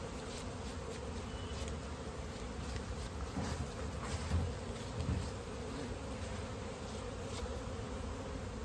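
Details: Honey bees during natural honey collection in an Indian village, a dense steady droning hum with a continuous low buzzing band and no clear breaks.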